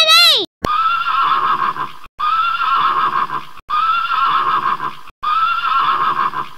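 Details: Horse neighing: long, steady whinnies of about one and a half seconds, each starting with a rising tone, repeated four times with brief breaks, after a short spoken word.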